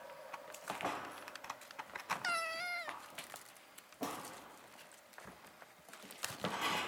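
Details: Foreign White Siamese kittens, eight weeks old, playing together as a litter at a cattery in the Netherlands; a single drawn-out, level meow of under a second stands out amid rustling and knocking play noises.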